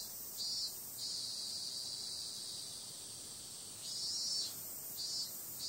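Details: Summer-night cicada chorus as a continuous high-pitched hiss, swelling briefly into a few louder buzzing bursts near the start and again toward the end.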